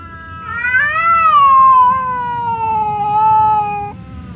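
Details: Hostile standoff between house cats Temon and Lelo, separated by a barrier; one sustained wavering yowl lasting about three seconds, rising at first then gradually falling, low rumble behind.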